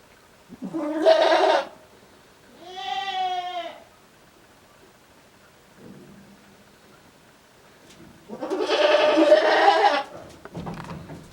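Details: Japanese farm's male goat bleating oddly in December 2022: a short harsh bleat, a clearer wavering tonal bleat, a long quiet gap with a faint low sound, then a long rough strained bleat.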